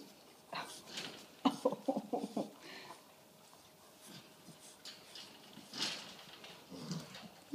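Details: Six-week-old puppies at play indoors, giving a burst of short squeaky yips and growls near the start, then softer scuffling grunts, with a woman talking to them throughout.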